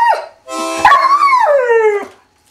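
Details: Australian Cattle Dog howling the blues: a brief yelp, then a sustained wavering howl that rises slightly and slides down over about a second and a half, rich in harmonics.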